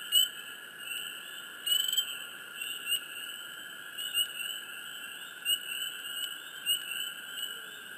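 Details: Swamp frogs calling near the recorder: scattered thin chirps roughly every half second to second, set against a dense hiss and continuous high-pitched chorus.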